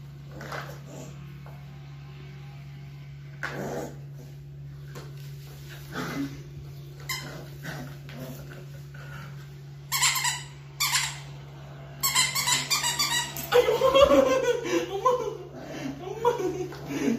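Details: Labrador Retriever puppies, 45 days old, play-fighting indoors during puppy training: scattered yips, whimpers and short barks, livelier and louder toward the end, over a steady low hum.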